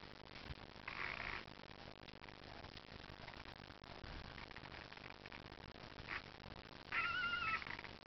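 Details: Four sleeping Cardigan Welsh Corgi puppies, born July 3rd 2009, let out a couple of brief, high-pitched squeaky whimpers, one early and a wavering one near the end, with faint rustling and a low background hiss.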